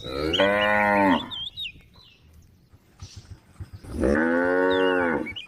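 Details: A group of tame cows on a forest road gives two long, drawn-out moos, each rich and harmonic, separated by a short pause.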